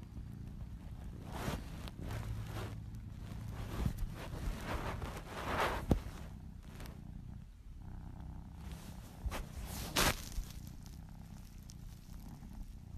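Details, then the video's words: Domestic cat purring in a compilation of purring cats: a steady low rumble held throughout, with soft rustles and a few sharp handling clicks and knocks over it. "Cat purring compilation"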